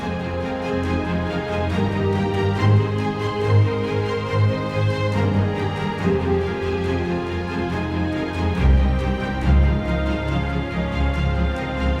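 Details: Background theme music plays throughout with sustained tones and a soft pulsing bass; no animal sounds are heard.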